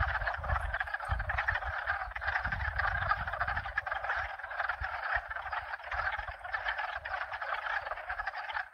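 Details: Several frog species, at least two, calling at once in a steady, thick chorus of rattling croaks. Bursts of low wind rumble come and go beneath it.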